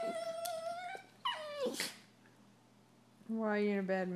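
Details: Two Italian Greyhound brothers squabble, trading high, drawn-out whines and a falling yelp, then a lower grumbling moan, sounding annoyed.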